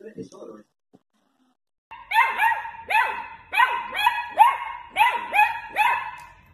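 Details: Dachshund puppy at play, indoors: a short human voice, a pause, then a run of about eight sharp, rising barks, each roughly half a second apart, with bright yelping overtones.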